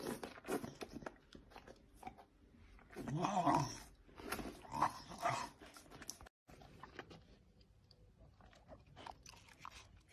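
An English bull terrier gives short, whiny grumbles between bouts of crunching and chewing noises.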